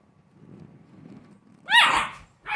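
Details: American Bully pup: faint low rumbling, then one sharp, loud, rising yelp and a brief second cry.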